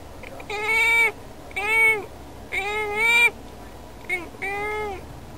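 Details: Domestic cat indoors calling toward birds outside a window, wanting to play with them; five drawn-out, tonal meows with rich harmonics, each rising then falling, some sounding almost like spoken words.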